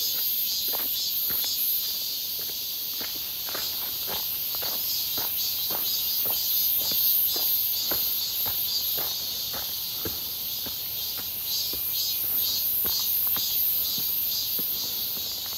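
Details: Cicadas on a walk near Seonbawi, 1 August 2023, on a clear, hot midsummer day, their numbers suddenly grown: a steady, shrill, high-pitched drone with slight pulsing, over rhythmic crunching footsteps.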